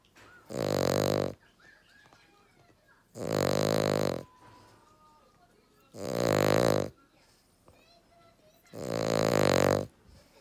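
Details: Sleeping male Cavalier King Charles Spaniel snoring loudly, four harsh rumbling snores evenly spaced about every three seconds, with faint squeaky whistling breaths between them.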